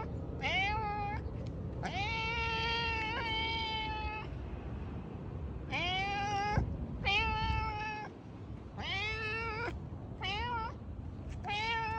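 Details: Domestic cat calling loudly with around eight meows, mixing short rising mews and longer level wails, irregularly spaced across twelve seconds over a faint rumbling background.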